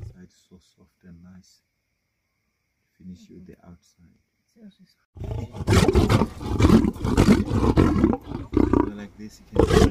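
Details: Lions feasting at night: sparse faint clicks and low murmurs for five seconds, then a sudden loud, rough, broadband roaring and growling that continues in dense surges to the end.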